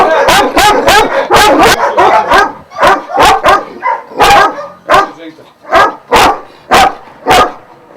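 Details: Šarplaninac dogs of Vujanski lineage, twelve kept at a kennel in Jasika near Kruševac, Serbia, barking in a dense, overlapping volley of deep, rough barks, fading into sharper, spaced single barks roughly every half second.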